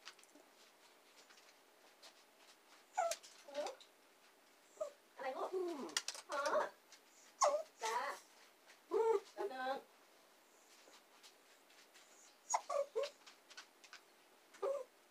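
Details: Two young female dachshunds, Saigrorg and Tanggwa, waiting indoors for their owner while she works in the basement; high, wavering whines and whimpers come in short bursts, repeated several times with quiet gaps in a small room.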